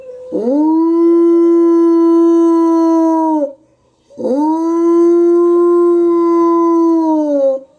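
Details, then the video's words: A captive gray wolf in a zoo gives two long, steady howls, each rising quickly and then holding a level tone. "Волк воет в неволе Wolf Loba"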